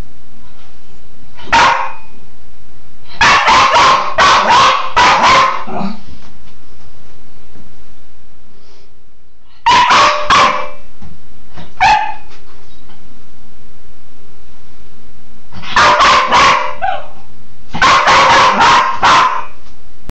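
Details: Cairn terrier Bug barks excitedly while playing in the shower, in rapid clusters of four or five barks separated by quiet gaps, with echo from the enclosed space.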